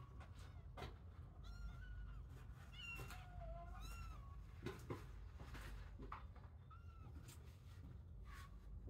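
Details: Kittens in a playpen shared with sheep, some breaking away from their sibling pile to explore; several thin, high mews with rising-falling arcs scattered across the clip, over low steady rumbling background and occasional soft knocks.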